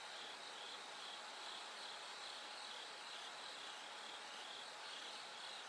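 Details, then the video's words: Bell cricket calling in the dark hours before brightening: high, tinkling pulsed phrases about twice a second, irregularly spaced, over a steady dense insect chorus. "bell cricket Cry of falling insects"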